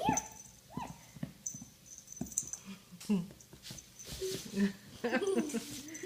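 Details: Young puppy indoors, chewing at its owner's foot; short high whimpering whines, some curving up and down, among a person's talk and handling noises.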